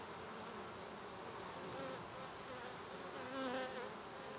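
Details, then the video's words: Honey bee swarm settled in at a farm in June 2012, producing a dense continuous buzzing hum with overlapping wing tones drifting and wavering in pitch, many bees humming together at a steady level. "Honey bee swarm all settled in at the farm"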